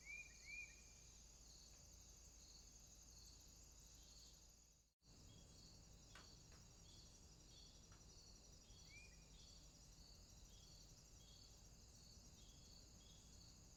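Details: Crickets calling at night in a swamp: a steady, shimmering high-pitched trill chorus with faint pulsing, a few brief rising chirps from another caller, and a short dropout near the middle.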